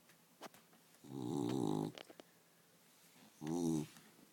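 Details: Female family dog snoring while awake, indoors: one long raspy snort followed by a shorter one, with small taps and handling noises around them.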